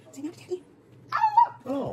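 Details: Basenji prompted by its owner to meow at home: after soft spoken words, a short wavering harmonic cry followed by a lower rough yelp, indoors.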